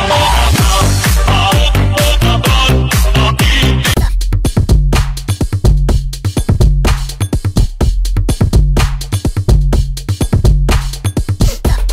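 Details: Loud electronic dance music, a busy opening that gives way to a thumping beat about once a second.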